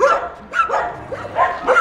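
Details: Leonberger recorded September 2013: three or four brief, sharp yelps spaced roughly half a second apart, each a clipped bark with a bent tone, against a quiet low background hum.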